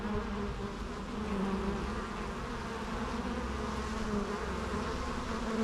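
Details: Bees buzzing, natural recording: a steady low droning hum with layered harmonics, continuous and even throughout with no breaks.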